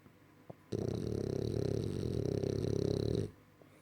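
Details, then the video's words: Snoring of Roger, a French bulldog: a loud, steady rasping snore held for about two and a half seconds, rapid pulsing throughout, with a quiet room before and after. "Roger qui ronfle. Bref, c est bien un bouledogue français.."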